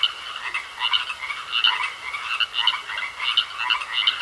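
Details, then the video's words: Frogs in a pond giving short harsh croaks at an irregular rate of well over one per second, overlapping into a chorus above a steady high-pitched whine. "Sounds Of Frogs Croaking In A Pond"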